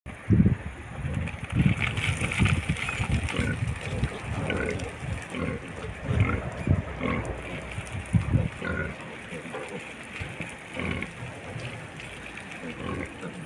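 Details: Wild pigs coming down a mountain: a dense run of low, rough grunts and snuffles, irregular and overlapping, over a steady outdoor background hiss.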